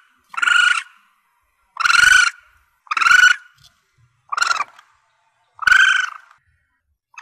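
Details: Juvenile Asian palm civet used as a hunting lure: five loud, harsh, harmonic squeals, each about half a second long, at uneven intervals of roughly one second, with quiet gaps between.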